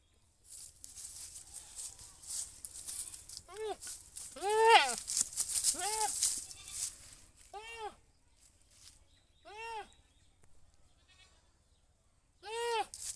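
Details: Goat bleating repeatedly, six short arched nasal cries spaced irregularly over about ten seconds, mixed with loud rustling and rattling noise near the start and brief voices.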